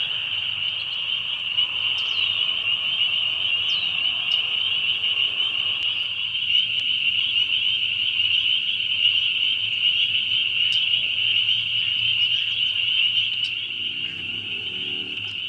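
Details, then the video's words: Spring peeper chorus, very loud: a constant high-pitched ringing of countless overlapping peeps, individual sharp upslurred notes popping out every few seconds, low background hum beneath. "Spring Peepers"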